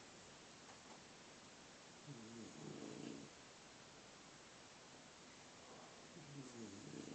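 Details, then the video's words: Sleeping bulldog with its all-night snore: two rough, rumbling drawn-in snores about four seconds apart, the second building toward the end, set against a low, constant hiss. "Some more bulldog snoring"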